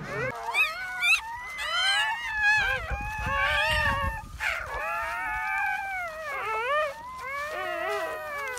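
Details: Freshly born German Shepherd pups crying during a litter birth that began at 5 a.m.; several overlapping high, wavering whines and squeals follow each other almost continuously, with some low rumbling noise.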